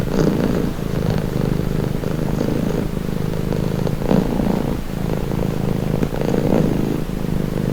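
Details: Continuous low purring from a pet cat, buzzy rumbling pulses with breathing cycles of about two seconds, smooth and unbroken, nothing else audible.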